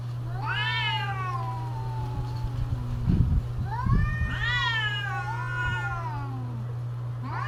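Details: Cats in mating season trading eerie wavering yowls, two long bending wails with a quieter low moan between them and a few soft thumps, over a constant low electrical hum.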